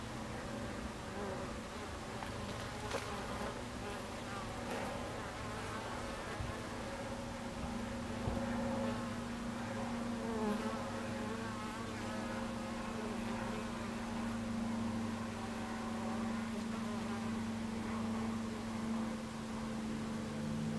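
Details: At the entrance of a beehive, 26 July 2013, 14:30: honey bees hum in a thick, low, steady drone, with individual bees whining past, their pitch sliding up and down, and a few soft knocks.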